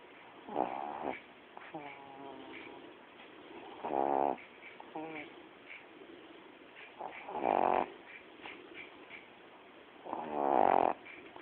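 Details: Pet dog, female, snoring in her sleep: four strong droning snores about three seconds apart, with softer breathy snorts between them, and faint background hiss.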